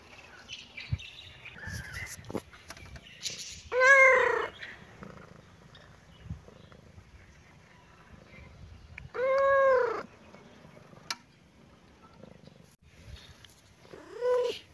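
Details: Domestic kitten and cat at play, happy mood: three drawn-out, harmonically rich meows arching up and down, spaced roughly five seconds apart, with faint rustling and light taps between them.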